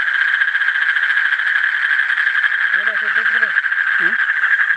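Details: Asian common toad. An Asian common toad produces a continuous, fast-pulsed trill at a steady middle pitch, droning on throughout. Brief human voices murmur in the background partway through.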